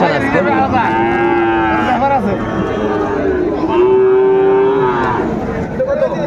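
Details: Sahiwal bulls for sale at the Ambari cattle market in Bangladesh, 24 January 2025. Drawn-out, steady lowing calls, each lasting about a second, are heard amid the busy murmur of the crowd and buyers bargaining.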